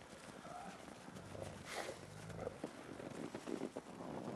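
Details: Gray wolves, the ambassador wolves, during a dominance interaction on 15 December 2008: a brief whine, then a low harmonic growl of about a second, amid rustling and scuffling sounds.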